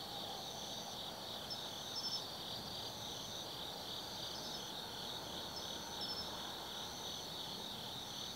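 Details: Autumn insects singing at night in Tsukimi no Mori forest, Kaizu, Gifu, Japan, overlooking the Nobi Plain from 180 m: a dense, steady high chorus of trilling chirps with pulsed bands repeating through, over a low background hum.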